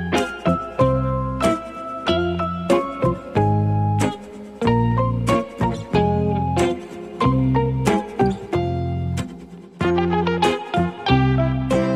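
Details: Plucked guitar music with bright, ringing notes in a steady, bouncy rhythm and deep bass tones under each phrase; no animal sound is heard.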